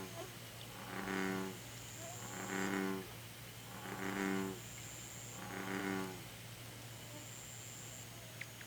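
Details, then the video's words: American bullfrog calling in Korea: four deep, droning, resonant calls spaced about one and a half seconds apart, each a rich low hum lasting under a second, over a steady low background hum and a faint high whine. "Rana catesbeiana Calling_video (황소개구리의 울음소리_영상)"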